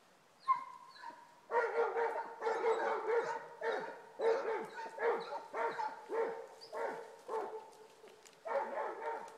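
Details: Basset Hound pair baying on a rabbit trail, loud and close: one drawn-out cry opens, followed by a steady series of deep, ringing, harmonic bays about once a second, some overlapping.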